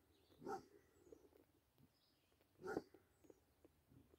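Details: Two deep, resonant barks roughly two seconds apart from a Basset Hound while it plays with a deer, with soft outdoor sounds in between.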